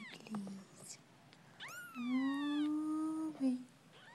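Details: Persian kittens ten days old, indoors: a thin high rising squeak, then a long steady tonal cry, with a woman's soft speech nearby.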